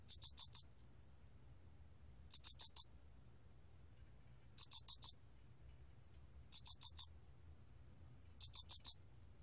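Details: Cricket (알락귀뚜라미) chirping rhythmically: bursts of four or five sharp high-pitched pulses, repeated about every two seconds, clean with light background hum.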